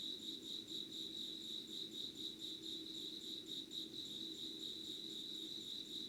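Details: Insect voices recorded before dawn, 5:00 on 25 August 2019, beside candlelight: a continuous shrill pulsing tone, beating about twice a second, over a faint low steady hum.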